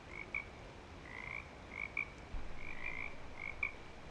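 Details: Frogs calling in breeding season at Clearwater Commons: short, bright chirping notes in quick irregular bursts, several callers overlapping, with a steady hiss of background noise.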